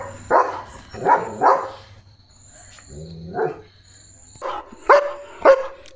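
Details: Barking from Leo, a German Shepherd on night duty guarding the courtyard: a few strong barks, a softer whining note in the middle, then two sharp barks, with a faint high steady tone behind.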